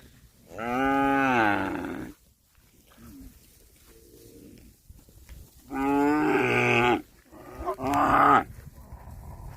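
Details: Cattle grazing on grass give three moos: a long, steady call, then after a pause two shorter, rougher calls close together, with quiet munching sounds in between.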